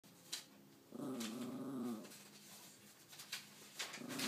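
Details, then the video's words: Pet dog vocalizing indoors as if trying to tell its owner something: a single wavering, moaning growl lasting about a second, pitched low and held with slight warbles, amid faint room noise and clicks. "Talking dog"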